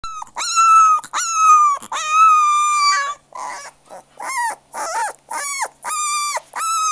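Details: Puppy whining loudly with long, clear tonal whimpers and squeals, held then falling, followed by a string of shorter, rising and falling yelps repeated roughly every half second.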